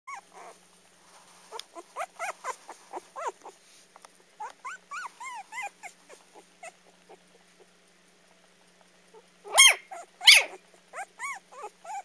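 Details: A dog finding its voice for the first time, caught on camera: a run of high, arching whines and squeaky yelps, then two loud, harsh barks close together, followed by more soft whimpering yelps.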